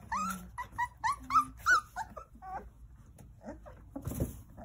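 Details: Jindo puppies, nine in the litter, with their mother Sarang-i indoors; a quick series of bright rising whines about three per second, then softer whimpers and a thump of movement.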